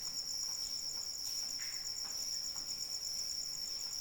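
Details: A cricket sings through rainfall: a shrill, finely pulsed trill holds one high pitch without pause, while gentle rain hisses steadily underneath and a few brighter drops tap through.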